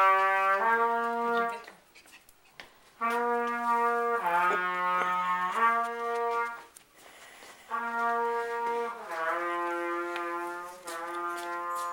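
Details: A brass instrument plays sustained, even notes that shift in clear steps from one pitch to the next, in phrases separated by brief pauses. No animal sound stands out.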